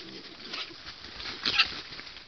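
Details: Wild boar piglet suckling from a sow, giving one short, high, harmonic squealing burst late in the clip against a steady hiss of background noise.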